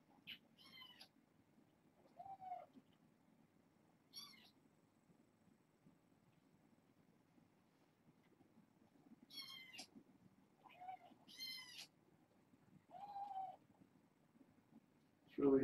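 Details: Kittens from a litter of six born August 29th to a family pet, now fostered, at bedtime: several short high-pitched kitten meows scattered across the stretch, some rising and falling, with quiet gaps between.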